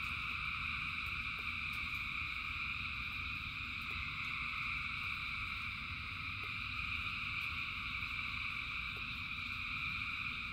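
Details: Frogs calling in the rain, a huge massed chorus of continuous shrill trilling in several stacked pitches that never pauses, set against steady low rain noise and scattered sharp drop clicks.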